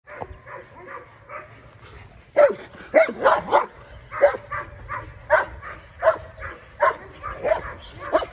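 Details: Aries, an English Mastiff, barking during a first training session: short sharp barks, spaced irregularly, come in a busy run after a quieter opening, with a steady low hum underneath.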